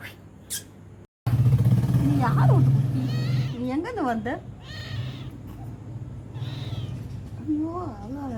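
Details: Small kitten mewing outdoors, thin rising-and-falling meows repeated every second or so, with a woman talking in Tamil over a low steady hum.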